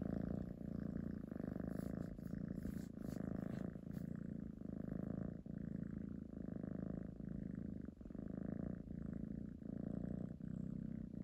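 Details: Kitten purring very loudly up close: a continuous deep rumbling purr that swells and dips in steady breath cycles about once a second, with a faint high hiss in the background.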